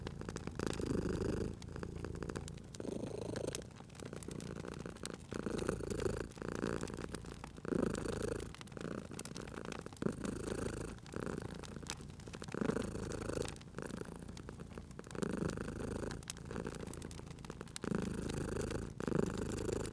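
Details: Cute domestic cat sleeping by a crackling fireplace, spring ambience: continuous rhythmic purring, a low buzzy rumble pulsing in short swells of roughly a second with each breath, accompanied by steady wood-fire snaps and crackles.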